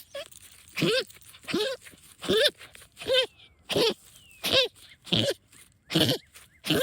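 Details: Female pet dog, excited while hunting moles and digging in backyard trenches, giving goose-like honks: harsh nasal bursts with a bending tone, about one every 0.7 seconds, nine in a row, with faint rustling between.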